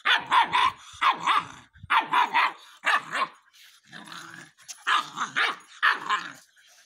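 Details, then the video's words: Rottweiler puppy barking on command: short, sharp yappy barks in quick pairs and triplets, about four per second, with brief pauses between bursts. "Rottweiler dog poppy speak"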